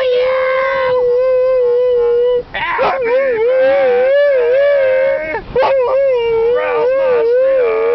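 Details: Husky howling as if singing happy birthday, steady wavering tone held for seconds, then warbling bent notes and short breaks before resuming the long vibrato howl.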